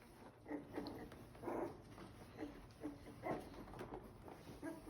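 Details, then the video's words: Pembroke Welsh Corgi puppies, born May 2nd and just starting to learn to bark, give short, thin yips and squeaky barks in quick irregular bursts, with some growling, as their mother comes near. "Corgi Puppies Learning To Bark"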